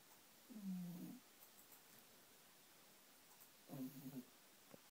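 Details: Sleeping Pomeranian dozing deeply in its favourite bed gives two low, rasping snores roughly three seconds apart, the second broken into small pulses, with quiet room hiss between.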